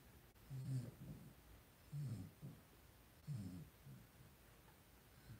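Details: Low, brief grunting whimpers from a pen of five two-week-old blenheim Cavalier King Charles Spaniel puppies, born on New Year's to Paris and Spike. The sounds come in three separate clusters, each followed by a softer trailing snuffle.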